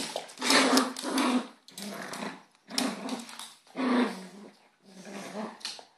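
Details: Two dogs fighting indoors, the little dog holding the big one by the neck; deep rumbling growls in five long bursts, roughly one per second, with faint human voices.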